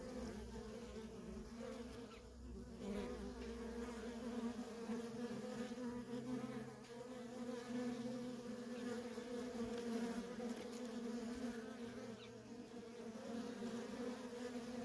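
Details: A steady, unbroken hum from a feral honey bee colony, worker bees coming and going nonstop. The droning tone holds evenly throughout, with slight swells in loudness.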